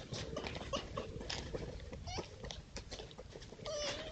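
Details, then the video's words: Red foxes at night on a woodland edge surrounded by fields in East Sussex, filmed by trail camera while playing or fighting over scattered peanuts; harsh clicking chatter and short whining cries, ending in a longer held tonal cry. "Foxes Making Strange Sounds In The Countryside"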